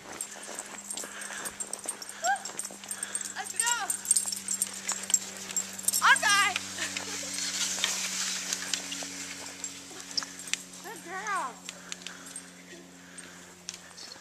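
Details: Sled dogs pulling a kicksled at Pine Point Park, Minnesota, in December, during a run after a rest. They give several short arching whines and yelps, and a person calls commands over a steady hum of movement.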